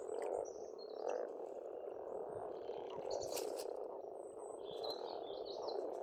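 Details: Frogs chorus loudly at a pond in Estonia in spring, their croaking a constant low rattle, with birds singing high whistles and a brief burst of sharper chirping near the middle.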